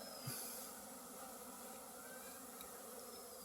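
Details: Honey bees swarming around a hive kept in a house courtyard, many bees that gather honey from mustard fields; a steady, even droning hum with a low mid-pitched band, unbroken throughout, with faint airy hiss.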